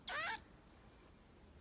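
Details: Infant pygmy marmoset during brushing gives a harsh, harmonic squeal, then, after a short pause, a single thin, very high steady whistle.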